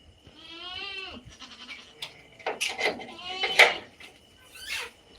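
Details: Native country goats bleating: a wavering, harmonic bleat near the start, then several shorter, broken bleats overlapping with brief human voices and clatter.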